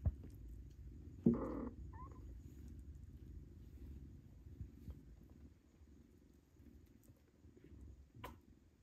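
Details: Kittens fighting over their mother cat's milk while being weaned onto tasty pâté; one loud, short, harmonic meow a little after one second, a fainter squeak just after, then low steady rumbling and light movement noises.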